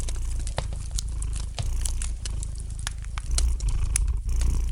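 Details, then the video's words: Low, even purring from a domestic cat, growing slightly louder toward the end, mixed with quick crisp crackles of a fireplace fire. "Relax to the gentle purring of the cat and the light crackling of the fire in the fireplace!"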